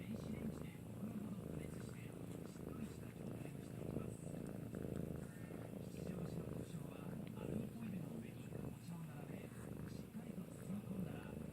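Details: Maine Coon cat indoors during a licking session, giving a steady low rumbling purr that runs through the whole stretch, with soft licking and handling noises and faint human voices in the background.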